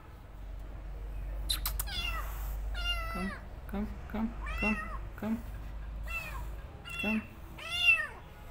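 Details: Rescued kitten meowing indoors after her rescue: a rapid run of high, arched harmonic mews, about ten short cries in eight seconds, some rising then falling, with a low steady hum and a few clicks beneath.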